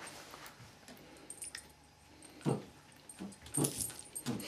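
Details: Ben and Faye, a Border Collie and a Whippet, playing tug-of-war indoors; low, rough growling bursts come in short pulses around the middle and end, each under a second, with faint scuffling between.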